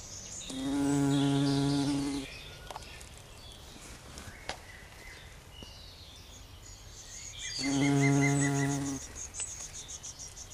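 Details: Heath bumblebee queen collecting nectar from Giant Pink Dead Nettle, Lamium orvala, at a bumblebee sanctuary. Two low, steady droning buzzes about a second and a half long each, separated by a quiet gap, with faint bird chirps behind.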